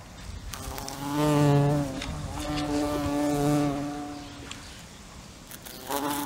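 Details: A fly buzzes past in bursts, its low droning hum swelling loud and shifting slightly in pitch as it nears, then fading and wavering before a brief return at the end.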